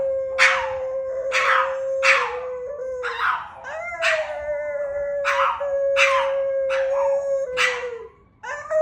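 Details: A male pet dog howling: one long, level, mid-pitched tone held almost without a break for about eight seconds, crossed by harsh, breathy bursts roughly once a second, ending with a brief dip and a fresh rise.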